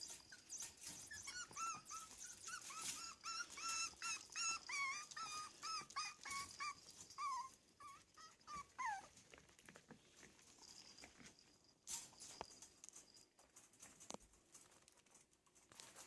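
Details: Playing Yorkshire Terrier puppies make a quick run of bright, high yips and squeals, repeated about three times a second. The yips fade into soft shuffling and scattered clicks.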